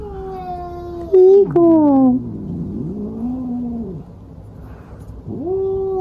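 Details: Domestic cat giving a run of drawn-out, wavering meows, some sliding downward, with a louder strained cry in the middle and a rising-falling wail at the end, in a quiet room.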